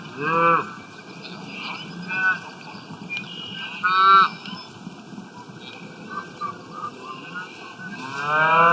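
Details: Cows grazing in the wild, eating grass: several drawn-out, nasal moos with rich harmonics, some rising then falling, spaced a few seconds apart over a steady crackling background.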